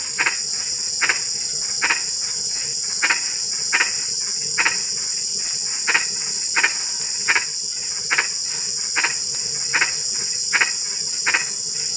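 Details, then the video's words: Frog at night in drizzling rain giving short, knocking croaks at a steady pace of about one every three-quarters of a second, set against a constant high, ringing insect drone. "SUARA KODOK HUJAN GERIMIS (drizzling rain frog sound)"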